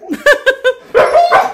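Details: Siberian Husky barking at a cat it spotted outside: three quick, sharp, clipped barks, then two longer, louder, tonal woo-like yelps rising and falling.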